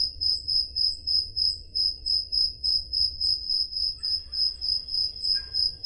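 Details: On a summer night in Peloponnese, Greece, crickets give a shrill, regular pulsed chirp about three times per second, recorded with a Zoom H5; a faint higher insect buzz joins near the end.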